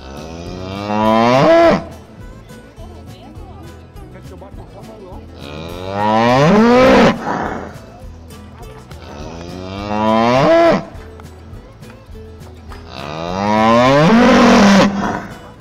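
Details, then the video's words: Four loud moos from cattle at a livestock fair and auction, each rising in a strained swoop then breaking off, spaced about four seconds apart over quiet rhythmic music. "Feira de Gado - Leilão de Gado - Boi Vaca e Bezerro"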